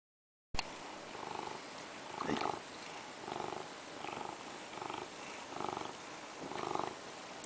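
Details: Domestic cat purring while wanting a crab stick treat: a steady, low rumbling purr in rhythmic pulses about once a second, each swell lasting under a second, with a brief voice sound near the middle.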